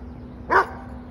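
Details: A single brief bark from a dog tagged as Redbone Coonhound, Carolina dog and American dingo: quick and mid-pitched with a slightly hoarse edge. A low, constant hum runs underneath.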